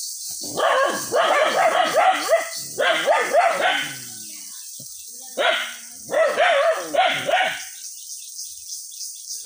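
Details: Village dogs in Bangladesh barking at a monitor lizard as it comes out again from the jungle; rapid, harsh barks in tight bursts of four to six, with short pauses between groups, over a steady high hiss.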